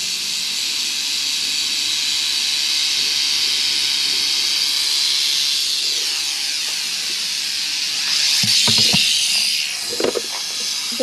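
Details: Western diamondback rattlesnake being captured: a continuous, dry, high buzzing rattle runs steadily for about eight seconds, then gives way to handling clicks and knocks.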